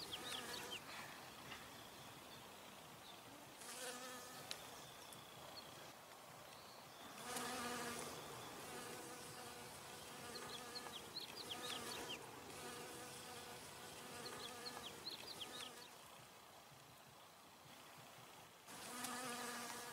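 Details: Western honey bees (Apis mellifera) hum steadily while taking nectar from flowers, a low buzzing drone that swells and fades as they pass close.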